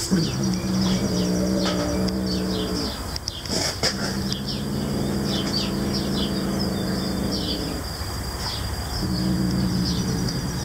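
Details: Noodle, a cat defending his captured sparrow from anyone reaching for it, gives sustained low growls lasting several seconds, separated by brief pauses and a clatter, while outdoor birdsong chirps faintly behind.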